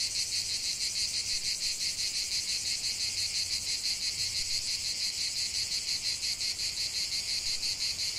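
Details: Cicadas singing in a lavender field: a dense, high buzzing chorus that pulses steadily about three times a second without a break, with a faint low hum beneath.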